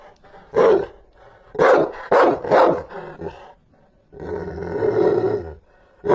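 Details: Rottweiler giving fierce barks: a single bark, then three rapid harsh barks, followed by a sustained gravelly growl over a second long.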